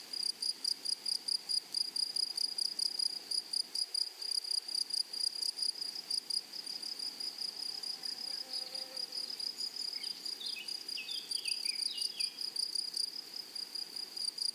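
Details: High, thin insect buzzing from grasshoppers in a flowery meadow, steady and finely pulsed throughout. A brief low thump comes near the start, and a bird adds scattered short chirps in the second half.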